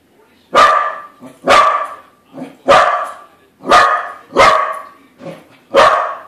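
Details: Corgi confronting a corgi balloon at home, letting out loud, abrupt barks roughly once a second, each followed by a quieter short yelp, no other sounds.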